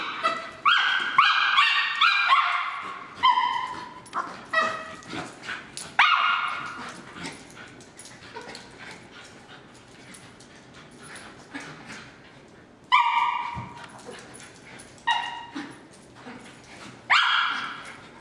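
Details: Two terriers named Moon and Griff at play; rapid clusters of high yips and barks open the stretch, then sparse barks and scuffling, with sudden loud yelps returning near the end.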